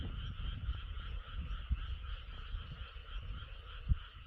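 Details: Many frogs croak together beneath a moon hidden by clouds, a continuous pulsing, buzzy trill layered in two pitches, with soft low thumps and rumble underneath.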